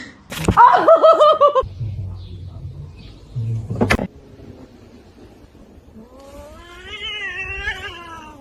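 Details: Kitten giving two long, wavering, harmonic meows, one early and one near the end, separated by a quieter stretch with a sharp noise; a woman speaks close by.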